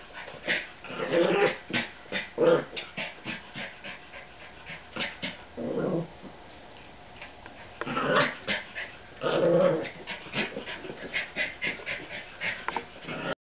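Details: American Eskimo Dog siblings at play with a new toy, a brother and his baby sister, trading short rough growls and huffs in clusters, with quiet pauses near the middle.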